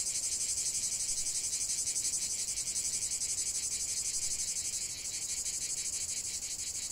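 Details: Cicadas droning in a chorus: an intense high buzzing with a clearly audible rapid pulse. It holds at a steady loudness with only a slight wavering near the end.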